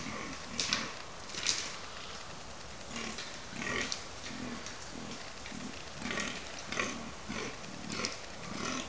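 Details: A fallow buck groans during the October rut at Cannock Chase, where bucks were fighting, giving a deep, belching grunt repeated roughly once a second.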